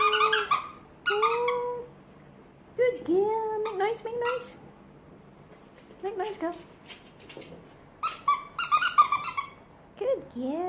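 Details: Female French bulldog indoors, making noise on command while being praised; whiny, warbling tonal grumbles that bend up and down, in short bursts separated by pauses, with a person repeatedly saying "make noise" and "good girl" in between.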